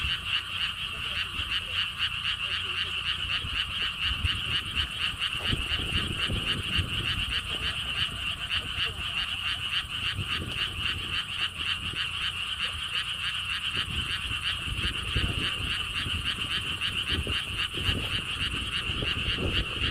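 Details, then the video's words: Massed frog chorus at a lotus pond park along a stone wall path in Siheung, South Korea: continuous pulsed croaking, several per second from many frogs, with wind gusting intermittently throughout. "개구리 소리"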